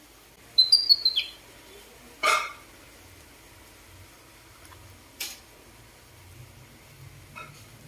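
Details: A baby monkey, a rescued infant in care, gives a quick run of thin, high squeaks that slide slightly downward.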